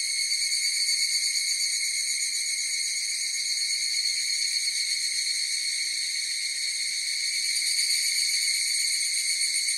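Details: Chorus of higurashi cicadas: a continuous shrill ringing with several layered high tones and a quick wavering pulse, slightly louder at the start and end, with no birds or people.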